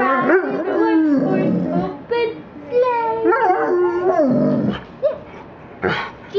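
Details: Golden Labrador retriever howling along to Christmas carols, mainly Jingle Bells, indoors: wavering, tonal howls sliding up and down in several drawn-out phrases, with short breaks between them and a louder final burst.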